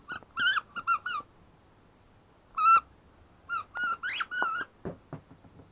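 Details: High, thin whimpers from Zara, a ten-week-old female German Shepherd puppy: quick clusters of squeaky tonal cries, one longer rising-falling wail, then a few soft clicks and shuffles near the end.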